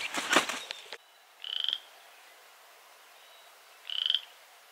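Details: A frog near a barn on a five-acre property gives two short, high, pulsed calls a couple of seconds apart after a brief clatter. It had croaked nonstop all day and stopped when approached.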